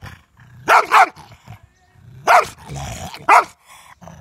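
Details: Angry German Shepherd guarding his ball and refusing to let anyone take it: a low rumbling growl broken by three harsh, loud barking bursts, with a faint high whine in between.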